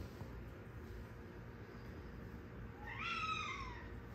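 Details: Siamese cat on catnip gives one drawn-out, harmonic-rich meow near the end that rises and then falls in pitch, after several seconds of quiet background hum.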